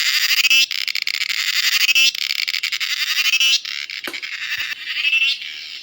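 A cicada's loud, harsh buzzing, a continuous high-pitched pulsing drone with brief breaks.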